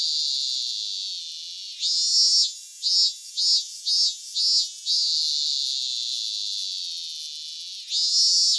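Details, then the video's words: Cicada singing in Japan: a steady, shrill, high buzzing drone that swells loudly, breaks into a run of five short pulsed bursts midway, then settles back into the continuous buzz and surges again at the end. "Cicada Sounds and Cicada Songs"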